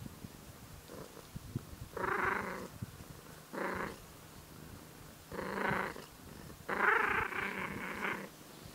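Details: Growling while purring, a tortoiseshell cat gives four drawn-out raspy growls, each under a second, rising from a steady low purr in a quiet room.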